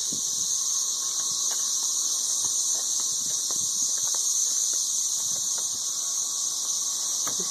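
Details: Deafening massed drone of 13-year periodical cicadas around Nashville, Tennessee, phone recording; a constant high hissing whine holds steady throughout while a person speaks faintly underneath.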